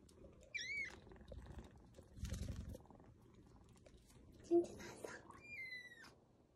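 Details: Lost kitten, one of several rescued after crying for hours in bushes or in a dark sewer, lets out two high, thin, falling cries several seconds apart, with handling noises and faint human voices between them.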